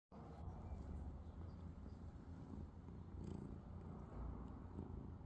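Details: Domestic cat purring while asleep: a steady low rumbling purr with energy concentrated below a few hundred cycles, continuous throughout with no breaks, over faint background hum.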